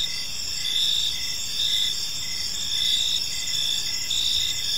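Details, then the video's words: In an evening park, crickets keep up a shrill high trill that swells in short bursts about once a second, several voices blending over faint low background noise. "Park Serenade: Cricket Sounds in a Peaceful Park | Evening Ambience"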